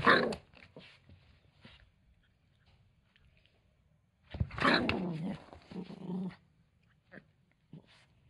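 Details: Toy Poodle growls in anger when his towel is removed. A sharp burst opens the recording, followed by quiet, then a longer, raspy growl of about two seconds that trails off into small grumbles.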